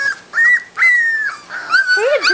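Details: Labrador Retriever puppies, three and four weeks old, whimpering because their mother is outside and they want out: high, drawn-out whining cries, several overlapping, with a lower squeaky yelp near the end.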